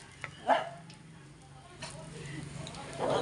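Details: Single short bark from a Yorkshire Terrier near the start, followed by a stretch of low room noise, faint clatter and distant chatter.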